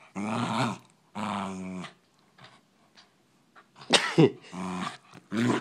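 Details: Poodles fighting: two long, rumbling, harmonic growls open the scene, then a quiet pause, a sharp snapping bark-like burst near four seconds, and renewed snarling growls to the end.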